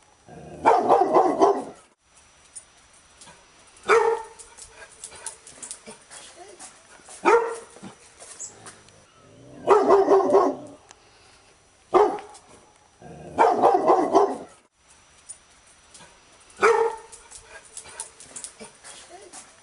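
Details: Labrador Retriever giving a steady series of about seven loud barks, some clipped and single, others drawn-out and gravelly, spaced roughly every two to three seconds with low murmuring noise in between.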